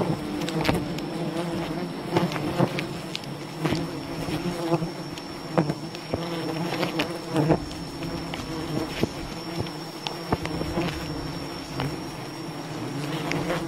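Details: Massed buzzing of a wild bee colony during honey harvesting, a thick unbroken hum lasting the whole stretch, punctuated by many sharp knocks and rustles, with a faint steady high whine.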